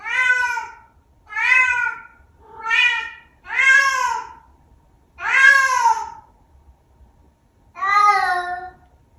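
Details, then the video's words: Chatty Bengal cat making odd vocal sounds: six loud, arching meows repeated roughly every one and a half seconds, each with a bright, slightly nasal tone. "My Cat Making Weird Sound | Vocal Cat"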